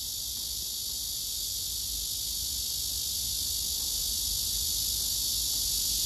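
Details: Male cicada singing among several cicadas gathered on a tree, wings spread and abdomen raised: an unbroken high buzzing drone, slowly swelling louder, over a faint low rumble of background noise.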